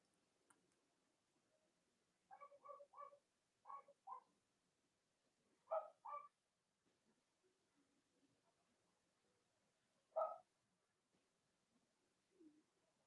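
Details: Cavalier King Charles Spaniel puppies, Robin's and Myra's litters, on a chilly Monday morning live feed: a quick run of stacked little yelps, then single louder cries spaced a few seconds apart, and one faint final whine.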